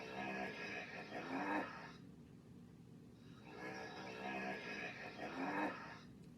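A hippopotamus gives a deep, rough, honking bellow, repeated twice with a pause between.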